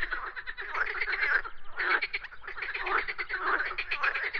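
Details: Many frogs croaking at once, overlapping rattling pulses forming a steady chorus that briefly thins around the middle before swelling again.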